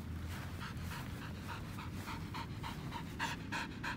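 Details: Pasepon, an old white Samoyed, panting on grass: rapid, even huffs at roughly three per second continue throughout, growing slightly louder near the end, over a low steady hum.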